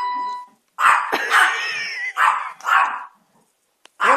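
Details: Chico the Chihuahua, in a diaper while being coaxed to chase, lets out a run of rough, yappy barks, some drawn out and slightly wavering, with a faint tone in the background before they begin.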